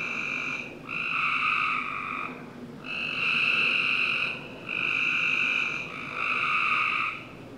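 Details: On a summer night in a Northern Virginia backyard, frogs give coarse, buzzy trills of one to two seconds each, with brief quiet spells between them and a low hum beneath.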